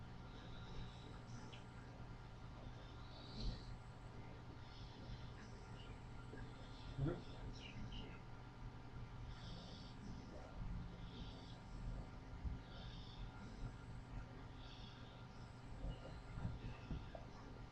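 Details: Pet dog asleep and dreaming, caught snoring on a webcam at 7:37 in the morning on August 3, 2011; soft breathy snores return about every one and a half to two seconds over a constant low hum.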